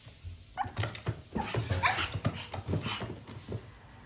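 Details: Japanese Chin puppy yipping and whimpering in a brief, rapid burst of soft, high-pitched squeaky notes over thuds and shuffling indoors; the breed is described as seldom vocal.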